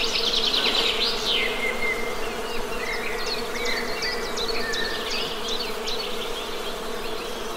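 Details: Even hum of honey bees buzzing throughout. A bird's fast chattering phrase opens, then scattered chirps and short whistled slurs continue above the drone.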